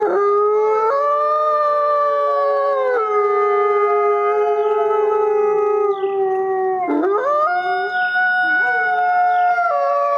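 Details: A white gray wolf, filmed in a forest setting, gives a long, steady howl, holding a low pitch before dipping and rising again.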